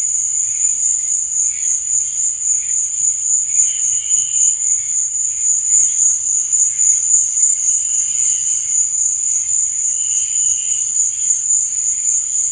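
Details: High, constant cricket trill in the night, rapid throbbing pulses at steady volume, accompanied by occasional softer chirping notes and a faint low murmur.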